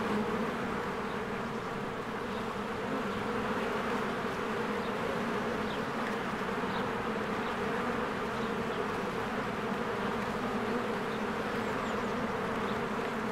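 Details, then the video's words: Spring beehive with swarms of honeybees flying in and out; a thick continuous hum of many bees, with faint short high chirps from birds scattered over the buzzing. "1 Hour of a Beehive ASMR"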